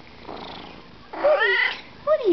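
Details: Siamese cat in conversation with a person at home, giving a loud, tonal meow that rises and then slides down, followed by a shorter second meow; faint human speech in the background.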